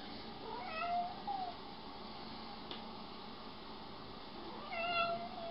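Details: Pet cat meowing indoors, two drawn-out meows with a falling tail, one near the start and one at the end, separated by a quiet stretch of room tone.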